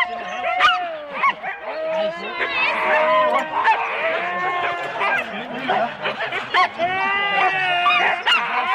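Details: Four-dog Husky sled teams waiting at the start, Rendlesham, January 2016: high wavering whines and rising yelps pile together with occasional barks, and human voices run underneath.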